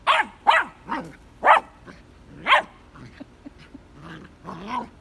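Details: A male Vizsla puppy, given his first red ball in his digging spot, gives a run of sharp, excited barks and yips, loud at first, then softer whines.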